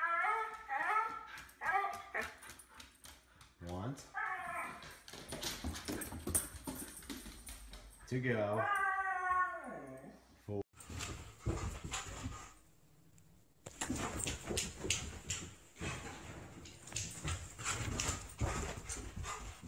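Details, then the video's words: Talkative Siberian Husky making a run of whining, wavering howl-like vocal phrases that bend up and down in pitch, mixed with people speaking and household noise indoors. "Funny Husky Videos Talking"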